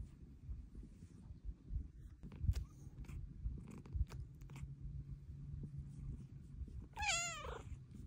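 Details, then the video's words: Steady low purring from Luna, a pet cat wanting pets, with soft clicks and rustles, then one sharp, bright meow near the end. "Pretty kitty meows for pets!"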